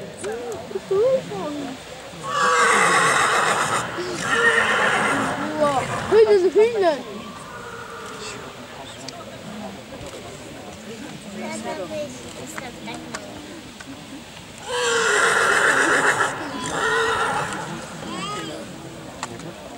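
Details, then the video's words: Silesian stallion presented before a breeding commission, whinnying in two loud bursts near the start and again near the end, with clip-clop of hooves, music and an announcer's voice between calls. "ogier śląski Ratan"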